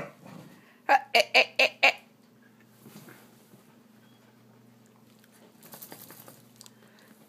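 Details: Poodles being pet-sat indoors on 24 July 2012, with four dogs present and toys being contested. A quick burst of five sharp, high yapping barks packed into about one second, followed by quieter shuffling and soft room noise.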